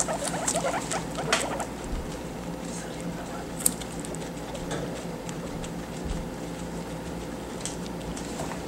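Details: Caged pet guinea pig munching on banana, a dense run of small moist chewing clicks and nibbling patter, busiest in the first two seconds, then quieter ticking over a constant low background hum.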